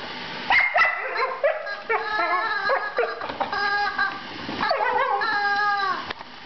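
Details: Female Border Collie playing with her rubber chicken, giving high whining yips and whimpers with sliding harmonic tones, several short bursts, while a person asks about her chicken.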